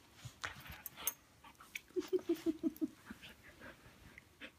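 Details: Two Siberian huskies, Mia and a puppy named Portia, getting to know each other in play or fighting; a quick run of six short, even whimpering yips near the middle, amid scuffling, panting and a person's voice urging care.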